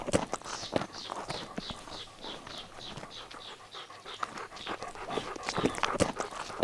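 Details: Little puppies playing outdoors in nature pant quickly and steadily. Soft breathy huffs repeat roughly every third of a second, with scattered sharp clicks and knocks around them.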